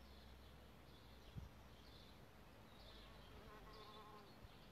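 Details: Around a bug hotel where solitary bees nest, a brief droning buzz swells for about a second toward the end. Soft, high bird twitters sound in the distance, and a single thud comes early.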